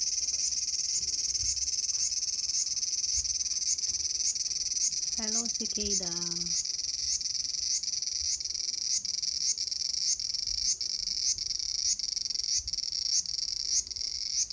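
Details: On 5 August 2020 in a small garden, a cicada keeps up a high, shrill drone pulsing about twice a second; briefly a lower, stuttering call from another animal breaks in and fades.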